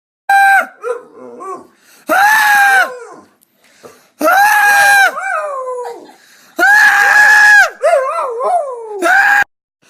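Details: Pet dog howling back and forth with its owner, who screams in turn: loud, flat, held human screams alternate with the dog's wavering, falling howls. Four exchanges in ten seconds, each answered within about a second.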